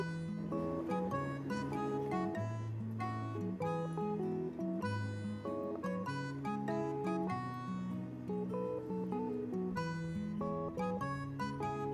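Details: Strummed acoustic guitar music plays throughout with no animal voice.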